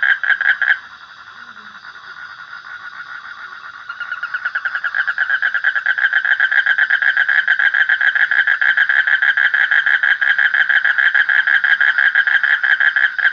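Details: Frog trill, a brief burst at the start, then a quieter stretch before a loud, continuous rapid pulsed buzz builds and carries on at a steady pitch to the end.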